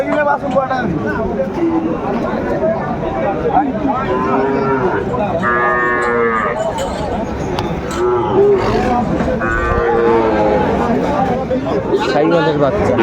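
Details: Young Sahiwal bulls being bought at a Sylhet livestock market, 29 June 2024: overlapping drawn-out moos, one loud bright bellow near the middle, over a steady hum of human talk.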